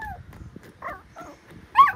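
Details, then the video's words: Pomapoo puppy, described as talkative, giving a few short tonal whines and yelps, with one louder rising-falling yelp near the end over quiet background. "Ano kaya sinasabi ng baby dog ko- ang daldal eh"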